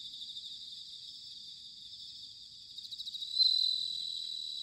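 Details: Bell crickets singing in autumn at Sanuki, Chiba, Japan, recorded with ZOOM H6 and TASCAM DR-05X microphones: a dense, steady high chorus of ringing trills, with one closer insect breaking in near the end with a louder, bright bell-like ring.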